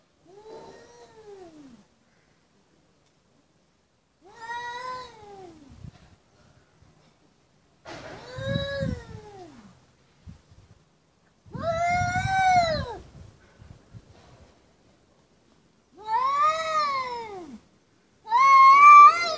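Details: Angry cats in a fight, one yowling in long drawn-out wails that rise then fall, six calls spaced a few seconds apart, each louder and more strained than the last, in an otherwise quiet setting.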